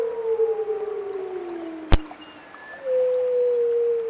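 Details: A lone wolf howl holding a long, slowly sinking tone, broken by one sharp click, then a fresh steady howl starts up and sustains evenly to the end.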